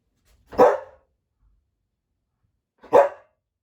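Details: Samoyed dog indoors waiting in front of its favourite deer bone jerky during a stay challenge; two short, sharp barks about two and a half seconds apart, otherwise quiet.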